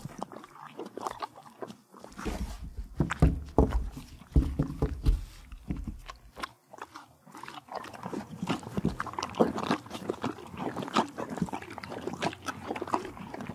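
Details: Kentucky Horse Park horse in Lexington, Kentucky, chewing carrots, apples and peppermints: deep, heavy grinding and thudding bites early on, giving way to brighter, crisp crunching repeated steadily.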